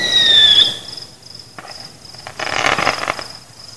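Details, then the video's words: Crickets singing at night during a fireworks celebration, with no people, pets, music or cars nearby: a steady, high, evenly pulsed chirping runs throughout. A falling whistle opens the clip, and a burst of crackling pops follows midway. "ambient sound including crickets"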